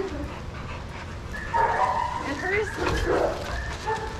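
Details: Shelter dogs in a rough-and-rowdy play group at Pima Animal Care Center, Arizona; thin whining tones and brief barks come through in the middle stretch, with human voices and laughter nearby.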